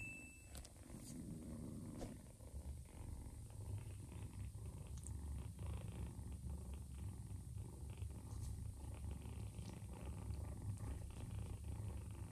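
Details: Low, deep purr from Joanna, a nursing mother cat who softened toward a foster ginger kitten; a dense, steady rumble throughout with light rhythmic pulsing and a few faint clicks.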